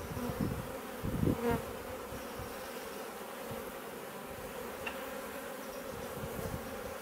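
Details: Honey bees of a swarm that took over a bait hive, garden in Leicestershire, England, June; continuous drone of wings, louder close buzzes and low thumps early on, then a steady even hum.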